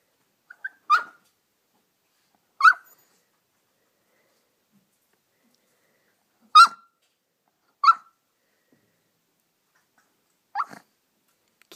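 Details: Poodle puppy indoors, digging under a couch for its ball: five short, sharp, high yips spaced irregularly a few seconds apart, with silence between them.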